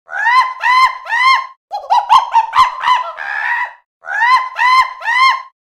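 A monkey chatters in quick bursts of shrill, arching squeals, each rising then dropping.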